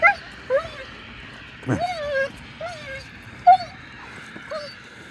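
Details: Dog making a few separate thin whimpers and yips, each sliding downward, with one short sharp bark-like burst near the middle and quiet pauses between sounds.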